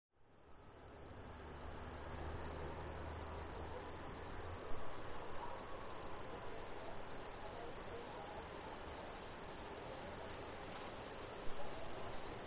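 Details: Brazilian crickets in a dense, steady chorus: one continuous high, shrill trill with a faint higher overtone, fading in over the first second and then holding at an even level, with a soft low rumble underneath.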